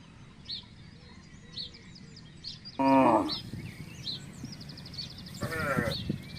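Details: Village cattle from a herd crossing a housing estate in search of grass and water: two short harmonic moos a few seconds apart, the first louder, over steady chirping of small birds and low background rumble.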